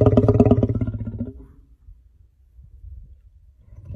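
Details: Lion (Panthera leo), growl.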